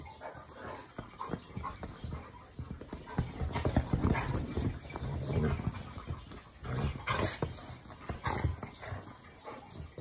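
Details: Two pet dogs, a Labrador Retriever and an English show Cocker Spaniel, play fighting on a sofa at home in the morning. Low rumbling growls and huffs come in irregular bursts alongside rustling and scuffling, with faint voices underneath.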